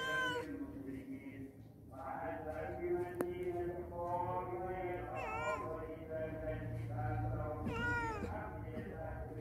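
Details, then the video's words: Cat at a house visited by many cats, each staying only a day or two. Two rising-then-falling meows, a few seconds apart, stand out over a busy background of steady tonal sounds and low rumble. "CAT | Kucing"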